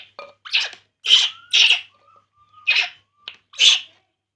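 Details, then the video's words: While drinking milk, baby monkey Poo cries in loud, breathy, high squeals, several in quick succession, with a thin faint whistling tone drifting between the cries. "baby monkey Poo, Poo crying drinking milk"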